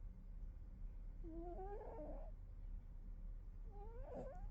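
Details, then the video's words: Snoring kitty in sleep: two nasal, wavering upward squeaks a couple of seconds apart, the second shorter and rougher, against a quiet low background rumble. "Snoring kitty"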